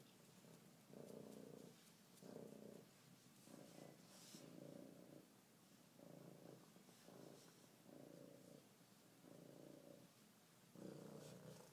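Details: Female F1 Savannah cat at a vet visit, very friendly and head-butting the table, purring steadily. The low, rough purr comes in pulses about one second long, with brief pauses between them and faint background hiss.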